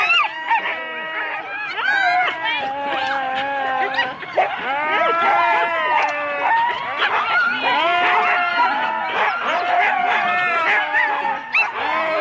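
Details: Four-dog Husky teams before the start at Rendlesham in January 2016, analogue cassette recording: a steady wall of high yelps and drawn-out whining howls from many dogs, voices layered and wavering throughout.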